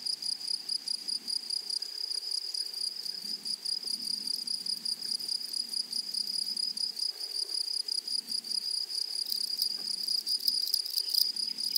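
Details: Grasshoppers on a flowering prairie keep up a constant, high-pitched ringing drone. Soft low rumbles come and go underneath, and a burst of rapid scratchy pulses comes toward the end.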